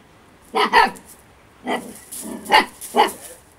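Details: Eight-week-old female Husky puppy playing over-excitedly, giving quick yappy barks in pairs: a doubled yap, a lone bark, then two more close together, with light rustling between.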